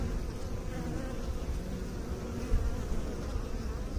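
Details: A continuous low droning buzz of bees, thick and unbroken, with a slight swell in loudness midway before it settles back to the same even hum.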